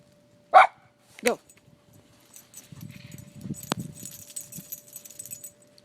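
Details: Schnauzer playing and diving in the snow: two short, sharp barks under a second apart, followed by crunching and rustling of snow as the dog moves about.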